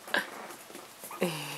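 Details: Four-week-old Chihuahua puppies, 7/8 chihuahua and 1/8 pug, from Laika's first litter, playing with their mother: a sharp high squeak, a pause, then a longer steady whining yelp with clear overtones.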